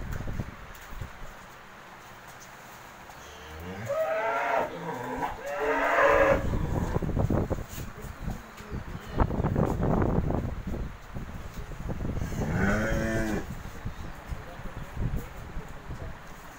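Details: A Holstein Friesian cow on a dairy farm, offered for sale ahead of her first calving, gives a long, drawn-out, rising moo from about four to six seconds and a shorter moo near thirteen seconds, with clattering farm noise in between.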